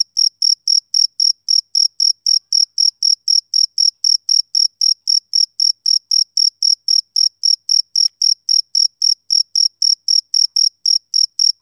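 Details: Male cricket on a summer evening, giving steady, rhythmic high-pitched chirps, roughly four per second, each a short clean pulse with a faint higher overtone, against complete silence.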